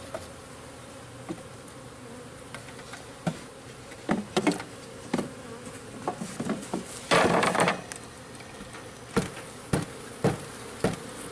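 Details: Local bees being installed into a garden-style backyard hive: a steady buzzing of many bees under repeated sharp knocks and clatters from handling the hive, the loudest burst near seven seconds.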